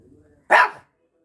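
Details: Pet dog indoors barking over its toy, scolding as if someone had taken it; a single loud, harsh bark of about a third of a second, then silence.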